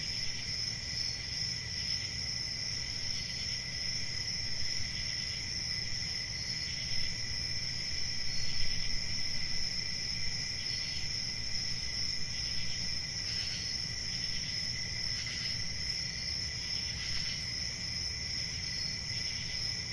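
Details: A sustained high-pitched ringing of crickets continues throughout. Short brighter chirp bursts recur at uneven intervals, mostly in the second half, over a low background rumble.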